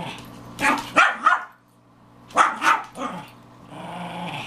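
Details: Playful Pekingese girls, four together, romping noisily: two quick pairs of harsh barks about two seconds apart, a short growl after the second pair, then low rumbling.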